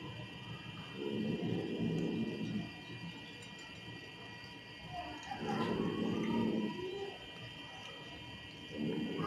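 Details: Angry, aggressive cat giving low, throaty growls in bursts of two to three seconds, separated by short pauses.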